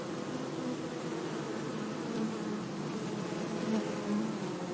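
A bee gives a steady, low droning buzz that wavers slightly in pitch.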